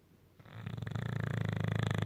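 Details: A male English bulldog napping on a couch snores with a deep, rattling, low-pitched rumble after a brief quiet start.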